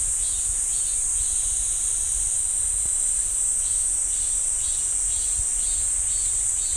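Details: Cicadas in a pine woodland by Ssanggyesa temple, Jirisan National Park: an unbroken high shrill drone, with a fainter pulsing buzz repeating below it roughly every second and a low background hum.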